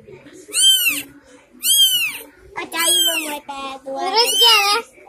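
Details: Three young kittens born in a home cry with four high, harmonic mews over five seconds: two short arched calls, then two longer, wavering ones, over a low steady background hum.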